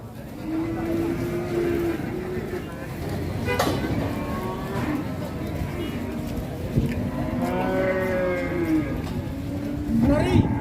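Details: A rampaging plough cow, worked so hard it broke the iron of its plough, gives drawn-out lowing moos. They sound partly masked by steady broadband rumble, engine-like noise and voices over about ten seconds.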